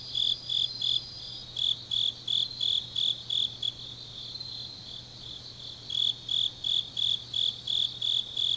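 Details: Deep-night autumn insect chorus from Changnyeong, Korea: evenly spaced high chirps that pause briefly midway, then resume, layered over a thin sustained trill and a faint low hum.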